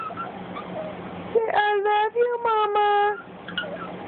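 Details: Cj, a Boston Terrier puppy, answers its owner with a sustained, slightly wavering whine broken into a few stuttering segments lasting under two seconds. Quiet murmuring sounds before and after.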